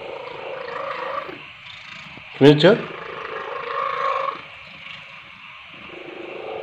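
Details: Paijo, an orange domestic cat that purrs while eating, sleeping and playing. Soft steady purring rumbles throughout, broken near the middle by one short, sharp, higher-pitched sound that could be a voice or a brief meow, with indoor background hum.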